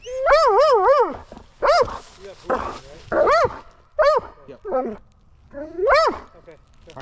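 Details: Excited Belgian Malinois at the start of a mantrailing search, giving long wobbling, whining yelps that rise and fall several times per cry, mixed with a man's encouraging speech outdoors.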